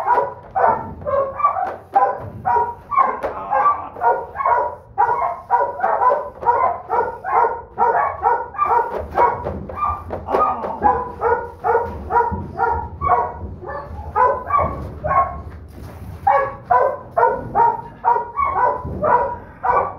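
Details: Female Doberman Pinscher puppy, the litter's smallest and a persistent hard biter, yapping continuously for twenty seconds in quick, uneven bursts of short harmonic barks, about two per second, barely pausing.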